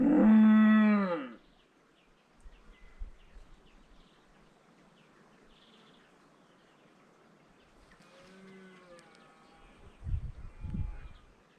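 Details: Red deer stag roaring during the rut in the Ruahine Ranges, New Zealand, a loud, deep, harmonic-rich roar, followed later by a fainter distant roar.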